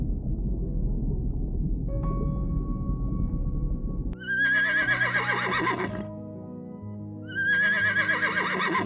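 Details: A horse whinnies twice, each a loud, quavering neigh of about two seconds with rich harmonics that wavers and then falls away. Steady background music runs underneath, and music alone fills the first four seconds.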